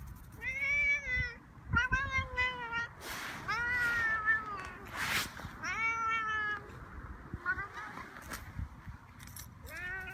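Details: Angry domestic cat giving long, harmonic-rich meows, some flat and sustained, others bending downward, with bursts of rustling noise between calls and occasional human voices.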